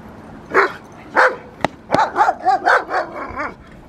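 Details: Rottweiler Magda vd Fehn Kolonie, BH, during protection training: two deep single barks about half a second apart, then sharp knocks and a quicker run of harmonic, wavering barks and yelps.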